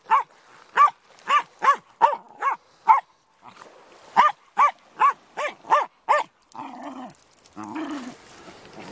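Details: On Lydstep beach near Tenby, Pembrokeshire, Wales, Benson the wire-haired Jack Russell terrier barks at the incoming tide, firing quick bursts of high, sharp barks, pausing once, then barking again before surf noise takes over.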